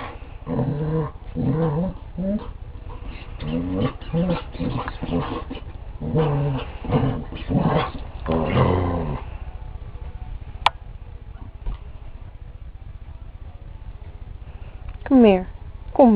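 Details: Jack, a pet Border Collie, grumbles in a long run of rough, growly, rhythmic vocal bursts for about nine seconds, falls quiet, then ends with two high, rising whines.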